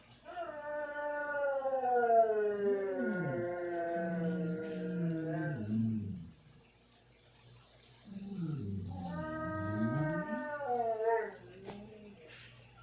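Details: Pet dogs left at home while their owners went to the store, howling in long drawn-out wavering tones that slide downward. Two voices overlap and sometimes cross, then fall silent for a moment before starting again.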